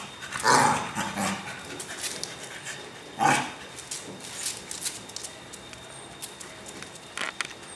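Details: Pet Cocker Spaniel at play in a home yard, giving two strong, abrupt barks about three seconds apart, then quieter scuffling sounds and a brief faint yelp near the end against low background noise.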